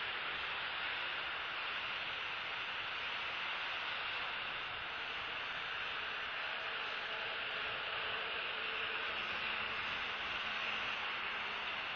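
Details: Steady broadband rushing noise like wind or a distant engine, with no animal calls.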